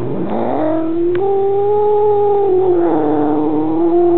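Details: Unhappy male Maine Coon at home protesting a visiting new kitten, taken with a Minolta Dimage XT still camera: one sustained moaning yowl that rises at the start, holds steady, then dips and lifts slightly, with steady background hum.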